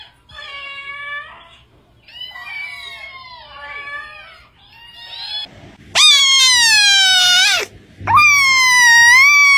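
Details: Domestic cat giving a series of wavering meows, first softer and falling, then two loud, strained cries that rise and drop, heard close indoors with no other sounds.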